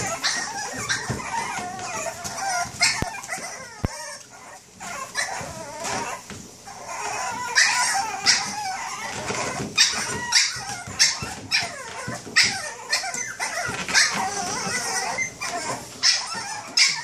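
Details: Boston Terrier; bark; waking its owner up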